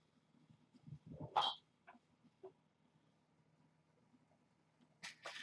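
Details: Hungry kittens of the rescued stray mother Janine, from Tulalip, Washington, at Purrfect Pals, playing rambunctiously before breakfast in the morning. One brief mew rises sharply in a squeal, then soft scuffling thumps, then a burst of rustling noise at the end.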